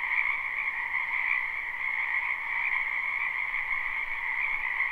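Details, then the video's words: Many frogs croaking in a spring wetland, live recording without looping: a dense, continuous chorus of trilling calls in two steady bands, one high and one lower, with no pauses or other clear sounds. "Ambient Noise for Sleep Frogs Black Screen"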